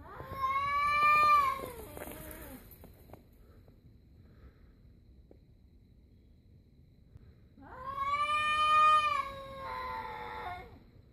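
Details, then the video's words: Stray cat in a standoff with another stray cat, making weird noises: two long, strained yowls, the first tailing off into a falling moan, then a quiet pause before a second steady, nasal howl with a faint overlapping voice. "Cat Making Weird Noise"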